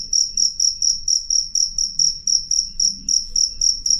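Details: Close, clear cricket chirping: bright high-pitched pulsed bursts, each swelling and fading, about four every second in an even run, faint low background murmur.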